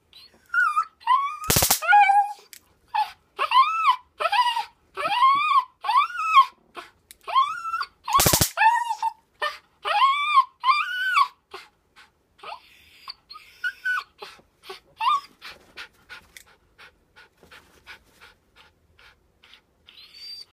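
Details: Eager nine-year-old female dog, desperate to grab a taser, whines in rapid arched cries after two crackling taser bursts, the calls growing shorter, fainter and more broken toward the end.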